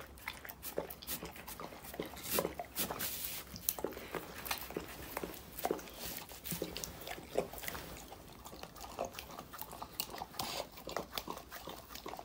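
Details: Dog chewing and biting raw meat, chicken and vegetables, heard as a steady run of sharp crunches and smacking clicks, irregular but continuous, with a faint low hum behind.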